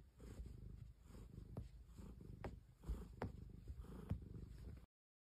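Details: Soft, low purring from a cat, a continuous rumble with a few slightly louder pulses, ending in silence.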